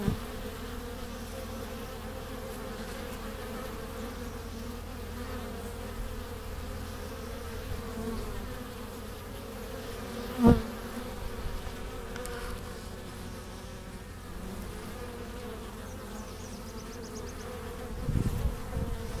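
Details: Honey bees crowd a hive entrance in April 2015, carrying pollen and nectar home. Steady, many-layered buzzing drone throughout, broken by a sharp click near the middle and a brief louder fly-by near the end.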